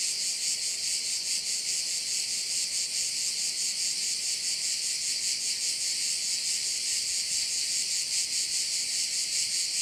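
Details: Constant shrill buzzing of crickets by a Korčula bay, Croatia; the rapid pulses blend into one high, even wall of sound from start to finish.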